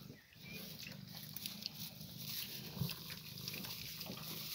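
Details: A 14-day-old piglet giving soft, low grunts that run through the whole stretch beneath steady broadband hiss, with a brief faint higher squeak early on.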